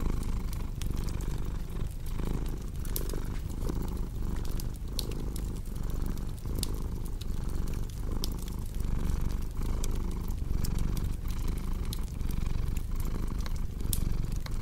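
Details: Long stretch of steady cat purring, a deep throbbing hum that ebbs with each breath at a regular pace, set against continual fireplace crackle and occasional sharp pops.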